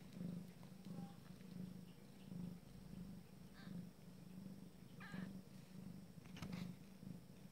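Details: Abyssinian cat from a first litter, purring through the first family meal: soft rhythmic low rumble rising and falling with breathing, broken near the end by a couple of brief higher-pitched squeaks.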